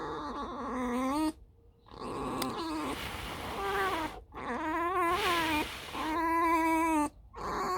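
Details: Alice, a pet fox, gives a run of squeaky whines: several harmonic calls broken by short gaps, some wavering and trilling, others held steady for about a second.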